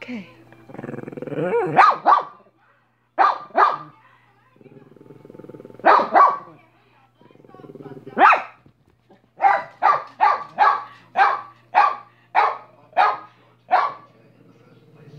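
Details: Pet dog named Minnie barking persistently: a rough low grumble, then single and doubled sharp barks, ending in a fast run of about nine barks roughly half a second apart.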